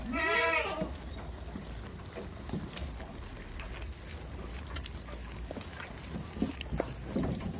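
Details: Farm goat gives one strong quavering bleat right at the start, then only soft rustles, taps and low hum for the rest.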